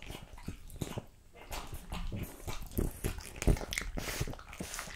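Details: French Bulldog eating raw quail, lamb kidney, diced lamb and beef testicle indoors; wet chewing, smacking and crunching noises come in irregular bursts, with a brief faint whimper-like sound among the bites.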